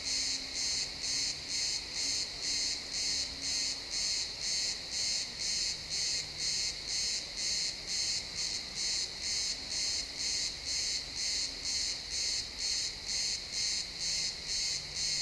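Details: Pine forest at sunset alive with crickets, recorded in XY stereo without looping: rapid, even high-pitched chirps repeating about twice per second, a faint low hum drifting underneath.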